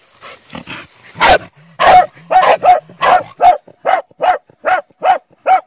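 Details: Bull Terrier hunter barking repeatedly, each bark loud and rasping, spaced a little under a second apart, following a few softer muffled sounds at the start.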